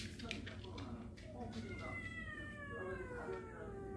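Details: Warehouse cat family that has come inside the house: a drawn-out meow with a falling pitch near the end, over people talking indoors.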